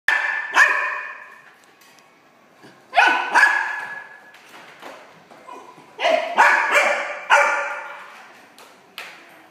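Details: Male golden retriever puppy, born 28 April 2016, at a pet shop: sharp, high-pitched barks and yips in bursts of two to four, separated by short pauses, in a quiet room.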